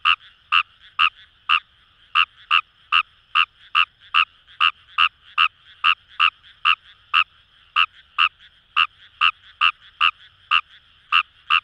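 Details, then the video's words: Croaking of Kawamura's rice frog from rice paddies by the Kamo River, Itoshima, Japan: a long, brisk train of about twenty-seven short, bright notes, slightly irregular in spacing, over a continuous high buzzing frog chorus. "Wild Frog Call | ヌマガエル"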